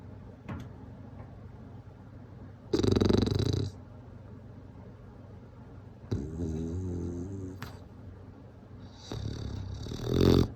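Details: A snoring bulldog sounds in scattered bursts across a quiet room: a short gravelly rasp, then a longer wavering throaty snore, and finally a louder rough breath closing the stretch after several seconds of near silence.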